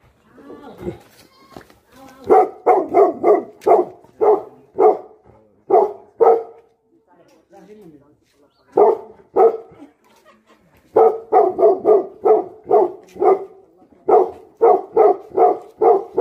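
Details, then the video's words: Tibetan Mastiff dogs barking angrily in rapid volleys of loud, rough barks. A quieter pause in the middle holds faint softer sounds before the barking resumes in fast series. "Angry dogs barking effect sound ||Tibetan Mastiff || Bhote Kukur"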